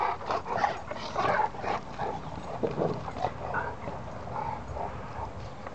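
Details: Cane Corso, German Shepherd and Dogue de Bordeaux play fighting in a muddy ruckus: a rough, scuffling run of short growly snarls and yips in quick irregular bursts, with panting and movement noise between them.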